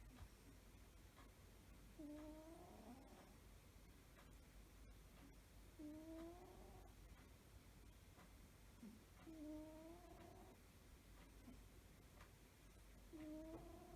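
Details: Sleeping cat snoring: slow breaths with a thin whistled, slightly rising nasal tone, arriving about every four seconds. Quiet room hum underneath, with a few faint clicks.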